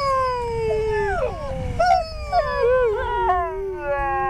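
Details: Siberian Huskies at a sled ride in Schröcken am Hochtannberg: sustained howls that slowly fall in pitch, with a second wavering voice joining and breaking into short undulating yelps.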